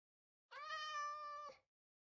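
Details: Persian cat arriving in Hanoi, Vietnam, after hours of travel during its delivery, giving a single drawn-out meow lasting about a second, steady and level in pitch with rich harmonics, cutting off cleanly with no other sounds around it.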